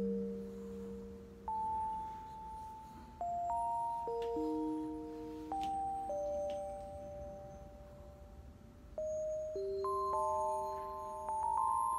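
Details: Bright chime-like melody of sustained electronic bell notes plays in a small room, with no animal voice audible.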